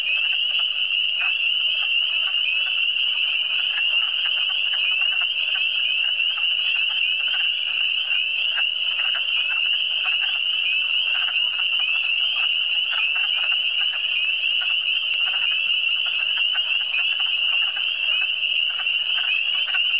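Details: Many frogs in the Eastern Townships producing a continuous high-pitched trilling wall of sound, with frequent short pulsing croaks beneath it all the way through, steady loudness from start to finish.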